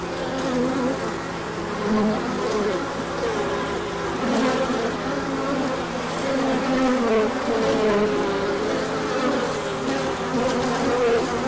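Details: Many honeybees hum during a large orientation flight on 24 March 2024, emerging when the sun came out after colder weather; a dense, steady droning buzz with overlapping wavering tones rising and falling as individual bees pass close.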